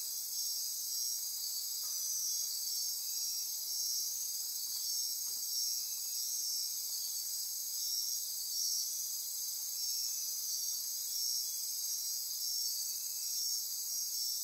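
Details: Nocturnal Costa Rican rainforest insect chorus, Osa Peninsula near Corcovado: steady high-pitched pulsing trills and buzzes with a few faint soft clicks scattered underneath.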